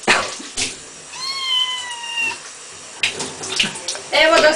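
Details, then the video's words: Little cat stuck in a bath trying to find a way out while water runs: one long, steady, drawn-out meow, followed by shorter cries, over running water and brief human voice. "Cat in bath...trying to escape..."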